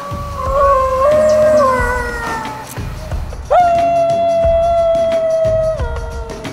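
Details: New Guinea Singing Dog, the highland wild dog of the Jayawijaya Mountains in Papua, which cannot bark well and gives a long wolf-like howl: two sustained, tonal howls, the first wavering slightly, the second held flat after a sharp rise at its start.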